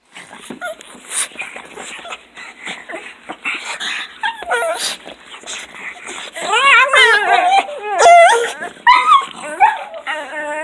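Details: Fawn pug (plus a second pug) greeting owner arriving home from work with high, wavering whines, squeals and short yips rising and falling in pitch, a yodel-like, almost human "talking" vocalization.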